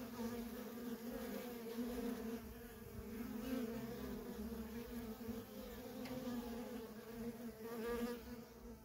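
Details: Continuous hum of worker honey bees streaming in and out of a feral colony, a dense layered drone holding steady with slight swells in loudness, no other sounds standing out.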